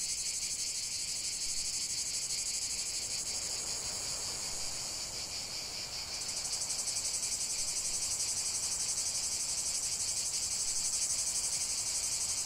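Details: Cicadas in full song in the outdoors, a relaxation recording: intense high-pitched droning with rhythmic throbbing, a slight dip in the middle, then a new, brighter layer of buzzing entering and swelling toward the end.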